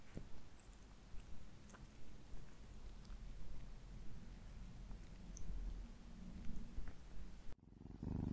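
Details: Ginger cat Alisa purring indoors while eating wet food: a steady, low rumbling purr with soft chewing clicks on top, cutting off abruptly near the end.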